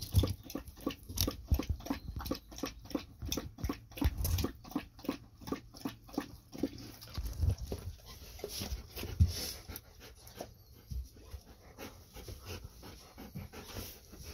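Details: Golden Retrievers Ibuki and Kohaku drinking heavily after a walk: fast, evenly spaced lapping splashes, about four a second for several seconds, then slower, irregular slurps and wet sounds indoors.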